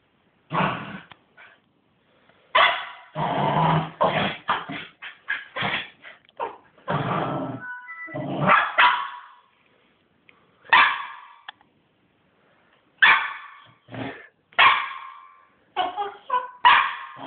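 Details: A hyper Cairn Terrier puppy, just back from his morning walk, gives quick, high yips and short barks mixed with rough little growls, in uneven bursts with brief pauses.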